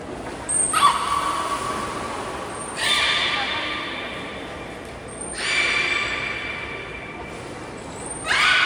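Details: Whole group of captive belugas at Port of Nagoya Public Aquarium, Japan, training on 16 November 2024; rich buzzy harmonic calls burst out roughly every two and a half seconds, each fading slowly, echoing in an indoor hall.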